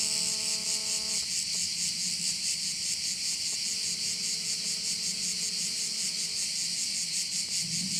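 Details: Crickets at one of the bays on Korčula: a dense, high, hissing buzz throbbing about two and a half times per second, steady throughout, with a low steady tone with overtones sounding briefly at the start and again in the middle.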